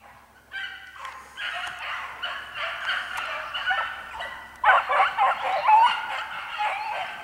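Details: Pack of hare-coursing dogs running a hare in spring: overlapping baying voices in a steady, rough chorus that builds louder halfway through, bays tumbling several per second, open rural ground with faint background noise.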